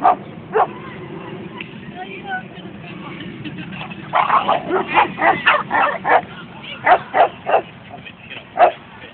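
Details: At a dog run on 22 May 2011, a Boston Terrier's scattered single barks break into a rapid, uneven string of loud barks after a few seconds, with a murmur of people talking behind.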